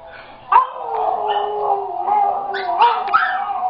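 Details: A pet dog cries and howls on hearing a recording of its own crying; sustained wavering whine with sharp yips breaking in, rising and falling over a few seconds.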